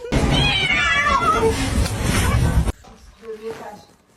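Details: A kitten from a funny cats compilation gives a loud, harsh, drawn-out yowl of nearly three seconds with wavering tones over rough noise, then two faint short mews in a quieter room.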